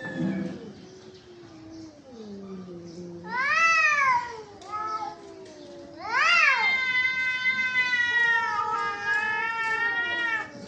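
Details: Cats in a fight: a low guttural growl gives way to two loud, arching screams, then a long sustained wailing yowl holds steady to the end.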